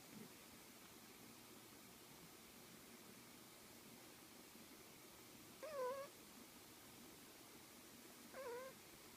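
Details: Sherlock, a cat, snores with two brief squeaky, wavering whistled breaths, roughly three seconds apart, against soft background hiss.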